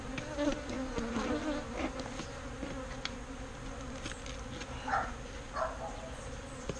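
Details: Swarm of bees being relocated from a birdhouse to a proper bee box, producing a steady low humming drone throughout, with brief louder buzzes as individual bees fly near and soft knocks from the work.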